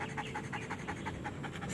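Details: Belgian Malinois in training, panting steadily with rapid, evenly spaced breathy puffs, roughly six per second, over a low indoor hum.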